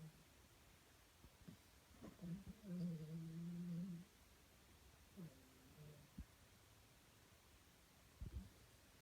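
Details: Sleeping male pet dog snoring quite loudly indoors: a low, droning, humming snore stretches almost two seconds, followed by a shorter, softer snore a second later, with faint clicks and rustles in a quiet small room.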